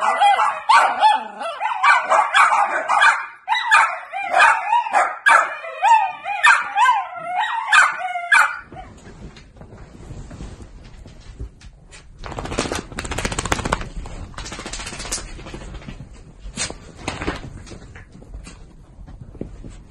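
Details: Miniature Dachshund dogs from a breeder's home: a rapid string of high, harmonic yips and whining barks for about eight seconds, then quieter rustling and handling noise with bursts of broadband clatter.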